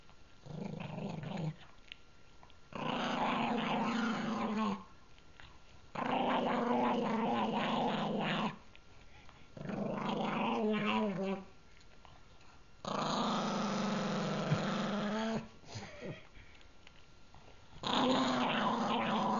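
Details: Gurgi, a pet pug, growls while guarding a treat he is eating indoors: long rough harmonic growls lasting two to three seconds, separated by short pauses, with wavering pitch in places.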